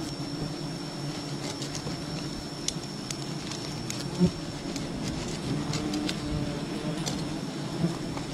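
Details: Bees from a wild colony drone as honey is gathered from the nest, a continuous low hum with harmonic bands, broken by occasional sharp clicks and a brief knock near the middle.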